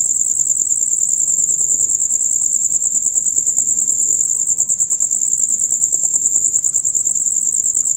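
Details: Male crickets chirping in a loud rapid concert, heard from dusk until dawn; a dense, unbroken high trill pulses steadily throughout with no pauses, faint low rustling underneath.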